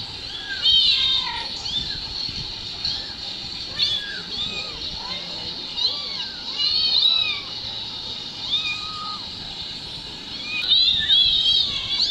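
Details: High, thin mews from two kittens, whose mother cat ran over to watch when their mobile-phone recording was played; cries come in clusters, arching up and down, with one louder overlapping burst near the end.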